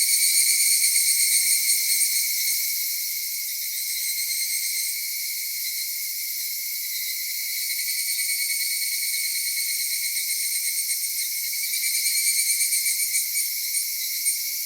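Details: Massed cicadas in Japanese summer at Kitakami's Michinoku Folk Village and Tenshochi: a constant piercing drone with high buzzing layers, rhythmic throbbing near the start and again toward the end, quieter and smoother in between.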